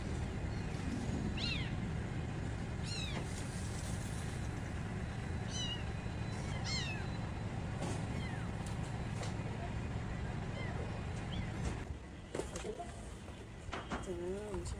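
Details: A mother cat saving her kittens: sharp, high, descending meows with bright overtones recur every few seconds over a heavy low rumble. The rumble eases near the end, leaving a lower, wavering meow.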